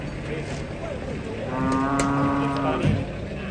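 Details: Agitated, rampaging cow, described as rare and frightening, coming down from a truck: one long, low, steady moo lasting over a second, rich in harmonics, over a constant background hum and murmuring noise.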